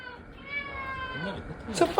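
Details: Male British Shorthair cat, sulking, gives a long drawn-out meow with a steady tone that slowly falls, followed by a brief sharp noise and a woman speaking Korean.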